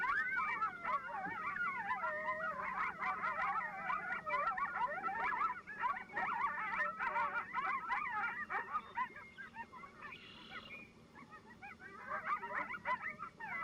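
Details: Group yip howl of several coyotes calling at once, announcing their territory's location to neighbouring coyotes; a dense chorus of quavering yips and howls, thinning briefly near the end before resuming.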